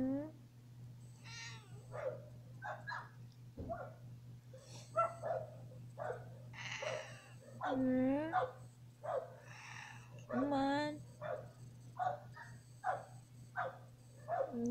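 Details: Pet cat reacting to its owner crying indoors, giving a run of short, rising-then-falling meows and whimpering cries repeated every second or so, mixed with a person's sobbing and quiet speech over a steady low hum.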